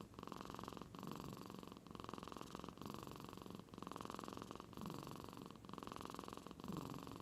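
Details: A house cat sleeping soundly in Aichi, Japan, gives a snoring, purr-like rumble likened to an old man's snore; continuous low droning broken by short gaps about every second, quiet room.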